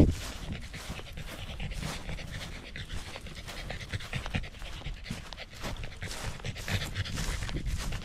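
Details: Pembroke Welsh Corgi hiking a small rural mountain on a sunny day, Jinbagata-yama with views of the central Japanese Alps and Ina Valley, Japan, before autumn colours; steady rapid breathy panting throughout, with low rustling ground noise.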